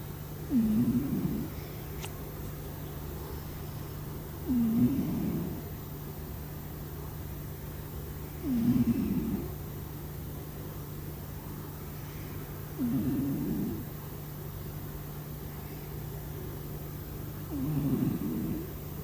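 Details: Snores of a sleeping house cat, five slow, rhythmic breaths at roughly four-second intervals, each a nasal squeak melting into a coarse low rumble, with a faint steady hum in the room.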